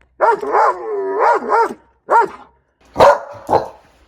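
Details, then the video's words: A puppy gives drawn-out, wavering whine-barks that rise and fall in pitch, then two shorter, harsher barks after a pause; no other sounds intrude. "Puppy Barking Sounds. 20 Adorable Puppy Barks!"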